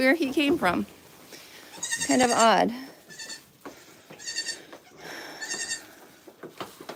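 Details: Goat at The Willful Goat Farm & Home, filmed live, giving two wavering, harmonic bleats in the first three seconds, the second rising and falling, followed by softer clipped sounds and background voices.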